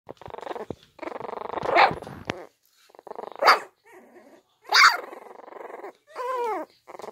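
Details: Puppies attempting to growl: long rough pulsed growls broken by sharp yips and short barks, with a high whining squeal near the end, all in a small indoor space.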